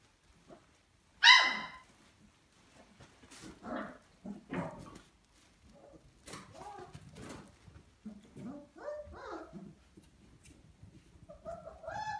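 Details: Vizsla puppy, 34 days old, gives one loud, sharp, high yelp early on, then a scattered run of short squeaky whines and little barks at irregular intervals, some rising and falling, with quiet gaps between.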